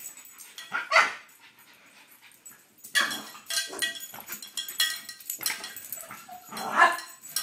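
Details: French Bulldog indoors, excited when a cow bell is brought out: short, sharp barks and yips in separate bursts a second or two apart, with quieter gaps between.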